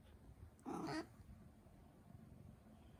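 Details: Turkish Angora cat: one short meow lasting about a third of a second, with clear harmonic bands and a slightly rising-then-falling tone, followed by quiet room background.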